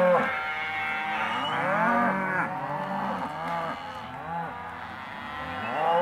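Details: Group of young half-tooth Hereford and Careta cows in a sale lot lowing; throaty, sliding moos overlap steadily, some bending upward and down again, a louder call starting just at the end.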